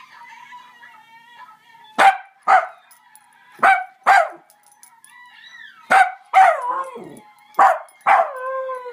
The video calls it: Basenji mix Augie baroo